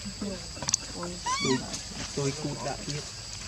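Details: Baby Barbary macaque at Monkey Forest giving short whining cries, one sharply rising and falling, between low tonal grunt-like calls, over a constant high-pitched background hum.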